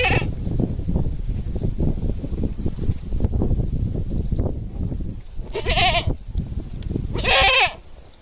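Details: Village goat crying loudly: after several seconds of heavy low rumbling and thumping noise, two harsh, quavering bleats come about a second and a half apart, the second longer and louder.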